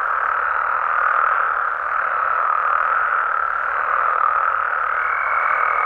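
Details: Massed frog calls at night in Mexico make a steady, dense buzzing wall of sound, slightly swelling and easing; near the end a faint, steady high tone appears above the chorus.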